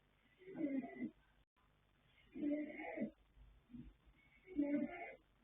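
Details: Yanta, a colt foal born 21 January 2026, sired by Fast Force out of Pink Blossom, snoring while asleep: rough, breathy low snores, three bursts each lasting about a second and spaced roughly two seconds apart.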